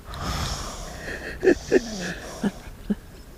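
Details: French Bulldog snoring while asleep indoors: several short, low snorting breaths spaced irregularly, with a faint hum and murmur in the room.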